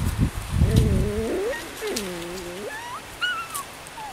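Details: Ten-week-old Miniature Schnauzer puppies from one litter at play: rough low growly scuffling, then several wavering high whines that rise and fall, with people talking nearby.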